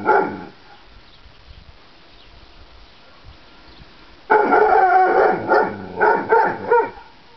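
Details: Dog called Gucci barking: one bark at the start, a long pause, then a loud run of about five strained, harmonic barks repeated roughly every half second.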